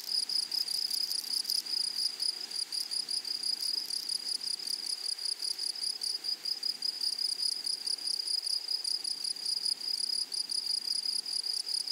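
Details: Insects in a flowering prairie meadow: an even, sustained high-pitched trill with fine shimmering pulses, louder chirring at the start, then a smooth continuous chorus from many grasshoppers.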